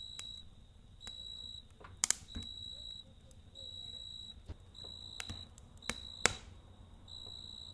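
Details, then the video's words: A cricket chirps at night next to a campfire, high ringing bursts repeating about every second, interrupted by loud fire cracks and snaps around the second and sixth seconds. "Kamp Ateşi ve Cırcır Böceği Eşliğinde Dinlendirici Gece Sesi"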